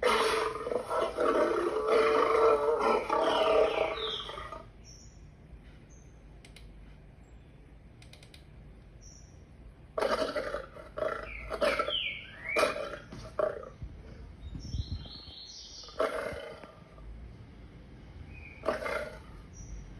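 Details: Lion roaring loudly and raggedly for over four seconds, then a quiet stretch filled with chirping birds, short harsh bursts and whistled notes.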